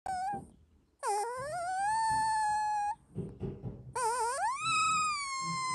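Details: Female Dalmatian puppy asleep and dreaming, one of her first dreams: a brief whine, then two long, drawn-out tonal whimpers, each rising from low to a steady high note before easing down slightly, with soft snuffly sounds between.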